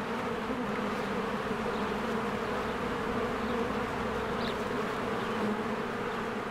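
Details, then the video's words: A spring beehive busy with worker honeybees coming and going; continuous droning hum, even in loudness, with a few short high bird notes near the end. "1 Hour of a Beehive ASMR"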